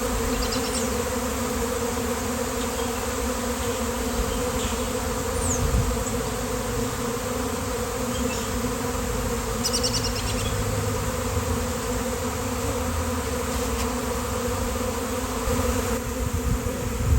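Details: A honeybee swarm of thousands settles on a fallen basketball hoop on a day of nice weather. Steady, rich buzzing drone holds throughout, with a few faint high chirps above it.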